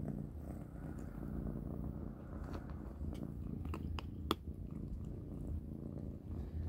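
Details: Kittens eating a big dinner of dry cat food indoors: a steady low purring rumble runs throughout, broken by sharp crunching clicks, one loud snap near the middle.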